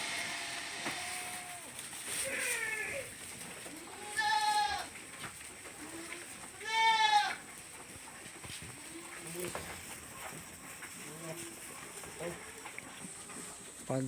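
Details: Farm goats kept by a group of workers, moving off toward feeding and drinking spots; two loud, wavering bleats with rich stacked overtones stand out around four and seven seconds, with softer bleats and people talking in the background.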